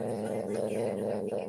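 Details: Dog making a funny noise indoors: a steady, low, rumbling growl-like drone held for over a second without a break.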